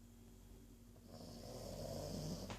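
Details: Archie, a pet pug, snoring: a single slow rasping inhalation builds over a couple of seconds, with a low rumbling tone underneath and a soft breathy hiss on top, indoors.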